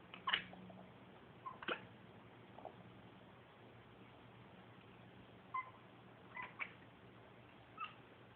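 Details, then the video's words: Staring out a window, a female house cat gives scattered short clicks and tiny chirps, singly or in pairs, spaced a second or more apart over a low steady hum. "Cat makes clicking sound while staring out window"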